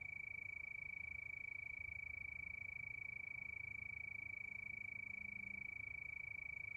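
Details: Steady nighttime cricket song under the moon, a thin high-pitched trill of rapid pulses running without break, with faint low-frequency murmur behind it.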